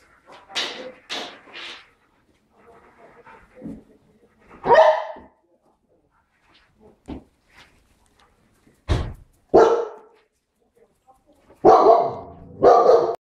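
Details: Pepper-and-salt Giant Schnauzer puppies barking: short, sharp, broadband barks in small bursts, a quick cluster near the start, single yaps in the middle, a loud double burst toward the end, with softer whines and quiet gaps between.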